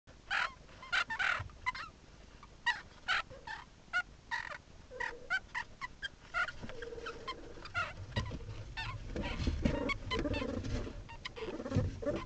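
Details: Meerkats filmed by a hidden camera inside their burrow give short, sharp chirping calls in quick irregular bursts, with low rumbling scuffles.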